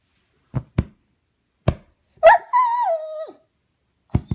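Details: Dog alone indoors while its brother is away at the vet, reacting to the separation: a few dull thumps, then one drawn-out whine that holds steady and slides downward before fading.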